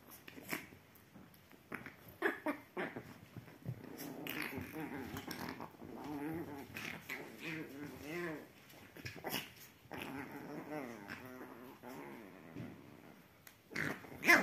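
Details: Chihuahua puppies playing and teasing each other on a sofa indoors: bursts of wavering, nasal growls and whiny snarls in irregular runs, with soft thumps and scuffling between them and a sharp clatter near the end.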